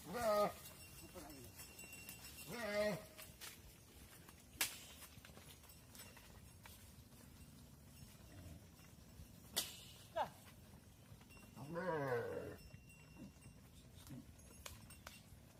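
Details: Cattle on a farm, mother cows entering the barn while their calves stay outside: a few short harmonic bawls early on and a longer wavering moo near the end, with sharp knocks and clanks in between.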